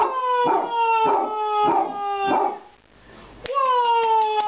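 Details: A Basset Hound on a couch in Wooster, Ohio gives a long, sustained howl that slowly falls in pitch, rich with harmonics.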